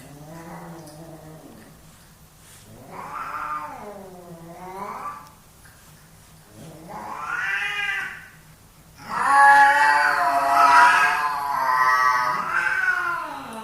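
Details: Two male domestic cats fighting for dominance indoors: drawn-out wavering yowls rising and falling in long harmonic arcs, growing louder and harsher toward the end into continuous strained wailing.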